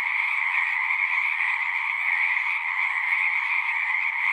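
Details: A short burst of frog chorus: continuous overlapping trills, bright and buzzy in the upper register with a lower layer beneath, at even volume and with no other sounds.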